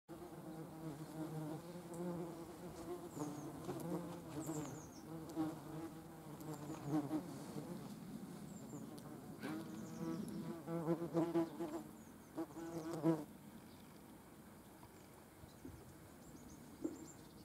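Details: Yellowjackets collecting protein for feeding their larvae, a low droning buzz with wavering pitch that swells and fades as insects move about, louder bursts around the middle, then quieter humming.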